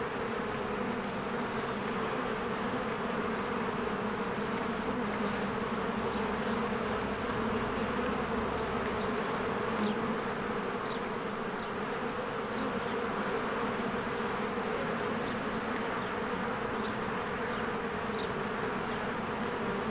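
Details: Honeybees working busily at their hive in springtime, flying in and out. A continuous, thick drone of many wings with steady banded hum, and scattered soft high bird chirps now and then.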